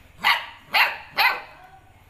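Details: A 60-day-old Golden Retriever puppy barks aggressively in three sharp, high barks about half a second apart.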